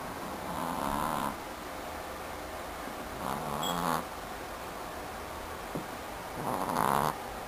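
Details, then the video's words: A pet Chihuahua snoring while dreaming: three breathy, rasping snores, roughly every two and a half to three seconds, each about a second long with a low droning hum beneath, quiet breathing between. "Snoring Chihuahua"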